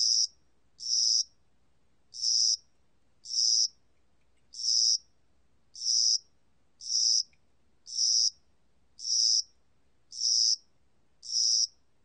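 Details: Spring and summer cricket chirping: short, shrill, buzzing bursts about half a second long, given in a fairly even rhythm near one per second, eleven in total, with nothing else audible.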